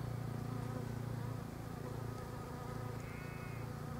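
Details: Bees in pink Japanese quince blossoms; a low, rough humming drone holds steady for the whole stretch, with a brief faint rising whistle appearing late.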